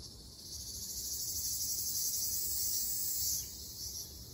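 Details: In an Okinawa forest in summer, a Ryukyu large brown cicada drone, high and rasping, that slowly swells louder toward the middle, then eases off and pulses near the end.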